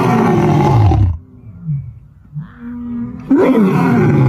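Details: Resting lion roaring: a heavy, deep roar for about a second, then quieter low moans and grunts, then another loud, rough roar bursts in near the end.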